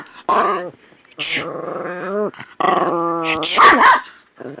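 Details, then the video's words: Chubby male Chihuahua reacting angrily to sneezes, which he hates: drawn-out growly, whining vocal moans with harmonic pitch that rises and falls, interrupted by short gaps, with people's voices and laughter mixed in. "Chubby Chihuahua who hates sneezes"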